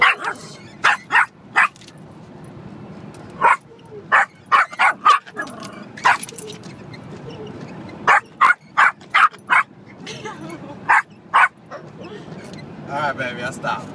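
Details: Rocky, a small pet dog riding in a car on the way to see family, barking at the windshield wipers: sharp high yappy barks in quick clusters of two to four, pauses between, ending in whiny yips over low road hum.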